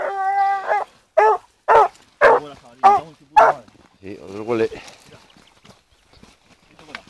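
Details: Female blue griffon hunting dog, 14 months old, following a wild boar trail: a drawn-out tonal whine, then five sharp barks about half a second apart, with a man's voice nearby.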